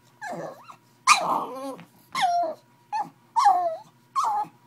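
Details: Angry pug going after a bottle, making drawn-out whiny moans that bend and fall in pitch, some with a rough growly edge, five cries in under five seconds with short gaps between.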